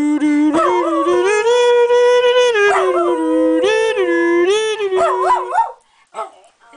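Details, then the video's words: Thunder, a small pet Jack Russell Terrier, howling and talking: a long unbroken howl that climbs, holds, and bends up and down several times, ending in a few wavering yelps before fading to quiet. "Little Thunder, Big Howl II"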